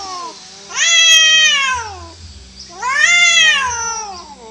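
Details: Orange cat losing a fight with other free-living cats; two loud, strident wails, each rising sharply then sliding down, about two seconds apart, over faint background rumble.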